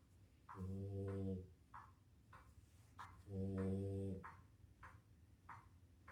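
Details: A female French Bulldog, worn out after a day of playing with a Doberman, snores so hard her paws wiggle, in long, rumbling, low buzzy breaths with softer clicks between them.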